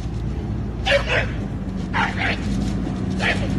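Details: Bulldog reacting to a garbage truck, giving three short, harsh bark bursts, the first two doubled, roughly a second apart, over a steady low hum and faint voices.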